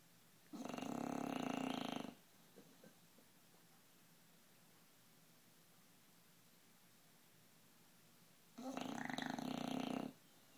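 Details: An 11-month-old, 60-pound bulldog snoring in deep, noisy sleep: two long raspy rumbling snores about 1.5 seconds each, separated by roughly six seconds of quiet breathing.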